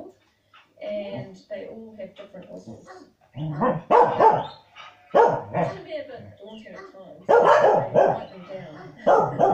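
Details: Corgis watching a farming programme on TV bark loudly in rough, short bursts, as if trying to help the dogs move the stock on screen, over a background of talking voices.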